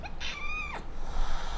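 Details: A house cat gives a single drawn-out meow that holds a steady level tone, then drops sharply at the end, over a low background hum.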